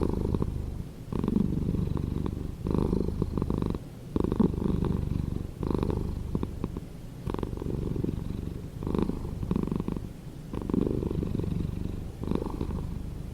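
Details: Domestic cat purring steadily, a low rumbling throb that swells and fades in rhythmic bursts about every one and a half seconds, close and indoors with no other sounds.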